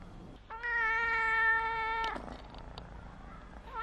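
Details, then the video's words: Little orange female kitten, a pet acting spoiled and meowing nonstop for attention: one drawn-out, steady mewing cry of about a second and a half, clear and tonal, then quiet room noise with small clicks and a new meow starting at the end. "Cute Cat Meow Act Like A Child 小貓撒嬌喵嗚不停日常融化我的心"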